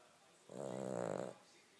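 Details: Cavalier King Charles Spaniel asleep, producing a single drawn-out snore under a second long, rough and vibrating with a steady buzzing texture, set against a quiet indoor background.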